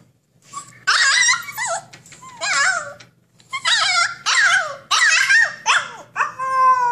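A Siberian Husky delivers a noisy string of bending, yodel-like howls and whiny yowls, each rising and falling in pitch. It is a vocal protest, the dog demanding to be let out, over a faint low hum.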